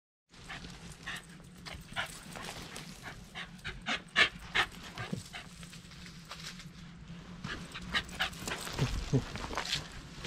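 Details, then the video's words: Shiba Inu named Taro, a pet dog disappointed at not going for a walk, filmed on a GoPro Hero8: rapid rhythmic panting breaths with scattered clicks and rustles, a person asking in Japanese whether it wants to go. "Shiba Inu is disappointed"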